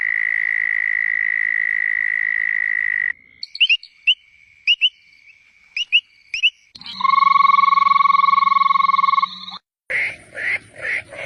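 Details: Several kinds of frog calls in sequence: a long steady high trill, then paired short chirps, then a buzzy drawn-out tone, and finally a rapid pulsed croaking.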